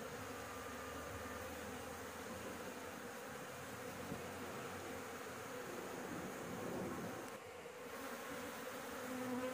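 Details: A bee colony nesting in a house roof, stirred up as honey is harvested and the insects are chased off; a continuous swarming drone with a low humming pitch, swelling slightly near the end and broken by a brief rustle.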